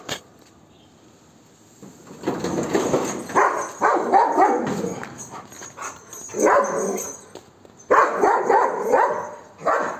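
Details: Max, a pet Golden Retriever, barks aggressively at monkeys to chase them away. Harsh, rapid barks come in three bursts, with short quiet gaps between them.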